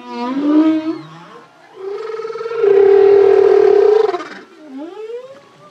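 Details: A solo male humpback whale holds a long, pulsing moan that swells in loudness. The moan ends in a rising, whooping upsweep, part of the deep singing phrases.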